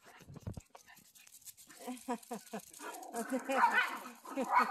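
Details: Dog barking on a familiar walking path on meeting its owner after a week apart, a run of short, rough barks at an uneven pace, louder toward the end, with people talking over them.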